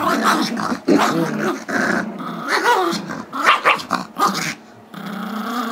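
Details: Gizmo, a 5-year-old Chihuahua/Yorkie mix, growls and barks in dense, rough bursts while wrestling 2-year-old Yorkie Tigger for a squeaky toy he badly wants, recorded February 10, 2011; a short pause near one second.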